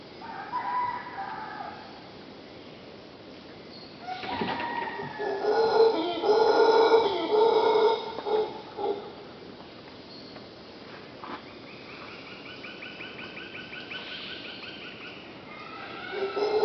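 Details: Howler monkeys right outside a bedroom at Punta Uva, Costa Rica, on an August 2nd morning; one bursts into a deep, rasping roar that builds, holds several seconds, then breaks off, with quieter, higher chatter and a soft hum around it.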